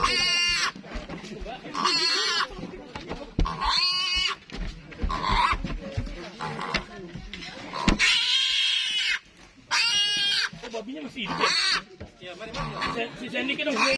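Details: Piglets being fed to a Komodo dragon give loud, shrill, harmonic squeals in repeated bursts of about one second, separated by short gaps, with human voices talking between them.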